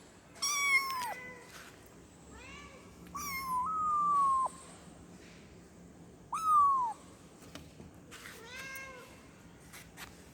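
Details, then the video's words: Kitten meowing to call its mother: high, harmonic-rich mews with arched and falling contours, several short calls and two longer drawn-out ones spaced a few seconds apart, over a faint hiss. "efek suara anak kucing mengeong memanggil emaknya"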